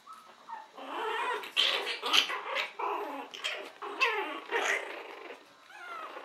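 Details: Chihuahuas at a French breeding kennel, Des Petits Aztèques, make a series of small yappy growling vocalizations and whimpers, rising and falling in short bursts roughly twice a second, close and indoors.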